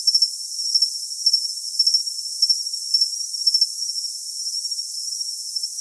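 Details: Cricket trill, thin and high, with clusters of louder doubled chirps every half second or so that soften toward the end.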